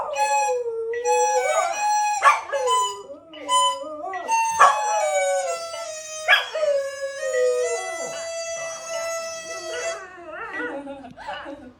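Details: Miniature Schnauzer, nicknamed a siren dog, howling along as its owner plays a wind instrument: long wavering howls that rise and fall, interleaved with the instrument's sustained tones.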